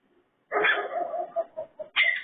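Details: Raccoon producing pig-like noises: a drawn-out harsh growl that breaks into short pulsed grunts, ending in a loud rasping squeal.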